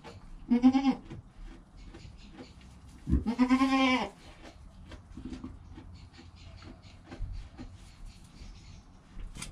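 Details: Newborn kid Joel, less than an hour old, with mother Penny, captured by GoPro; a short bleat followed by a longer, rising-and-falling tremulous bleat, then quiet shuffling sounds.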